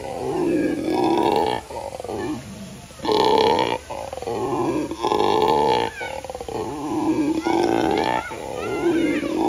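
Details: At the San Antonio Zoo, a dark-colored howler monkey roars in repeated deep, guttural howls, each lasting one to two seconds and separated by brief pauses, with the rasping bursts rising and falling; faint background noise.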